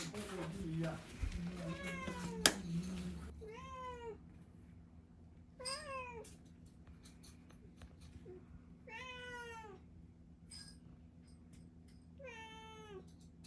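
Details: Pet cat at home taught to 'sing', meowing near a sink while a meal is prepared: a series of drawn-out, rising-then-falling meows spaced a few seconds apart, with clatter and a person's voice at the start.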